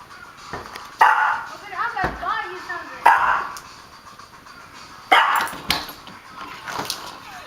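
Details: Excited pet dog reacting at the door after the doorbell; a few loud barks spaced about two seconds apart, with whining between them and a person talking in the background.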